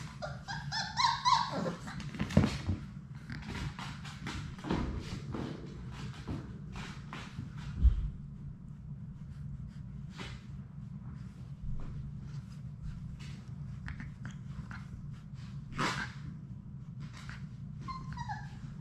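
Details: Labrador Retriever puppies, a litter of six, playing together indoors in their play room; a short high whine opens, then scratching, tapping and bumping sounds, with a brief falling whimper near the end over low background hum.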